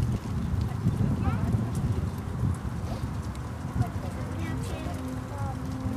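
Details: Deep, rough roaring from the lion parents in Dortmund Zoo, autumn 2009, part of a brief roaring concert near their three playing cubs; dense low pulses run throughout, with faint people's voices higher up.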